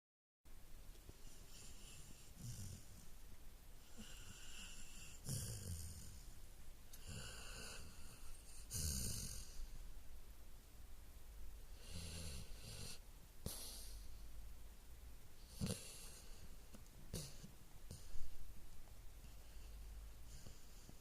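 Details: Sleeping Golden Retriever snoring: rasping breaths with bursts every one to two seconds, airy hiss reaching high, deep low rumble beneath, quiet indoor setting.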